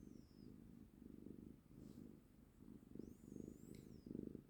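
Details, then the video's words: A cat purrs contentedly with a deep, soft rumble that pulses in regular breathing cycles. A faint, high whine is heard in the background. "품이 죠아 구룩구룩"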